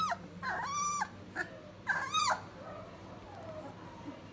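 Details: Standard Poodle puppies, three weeks old, River/Blue litter: drawn-out nasal whines with clear bands, a long wavering cry near the start and a second rising-falling whine about two seconds in, then quieter faint squeaks over low hum.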